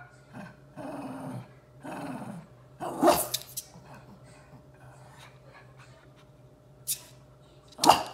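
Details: Shih Tzu at home with its companion dog near a new cuddler bed. Two drawn-out low growls open the clip, then scuffling bursts follow, with two sharp short barks near the end.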